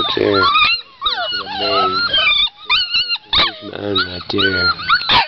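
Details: Pit Bull / Boxer mix puppies cry in a chorus of wavering, rising and falling whines. A man's low voice coaxes them at times, and a few rough, growly yelps break through.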